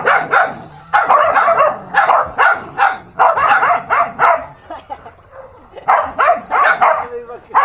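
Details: Dogs fighting, with bursts of sharp barks and snarls separated by short gaps, a quieter stretch around five seconds, then renewed barking.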